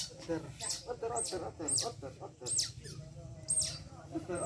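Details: A young otter being bathed gives thin, high chirps that fall in pitch, repeated about every half second over murmured talk.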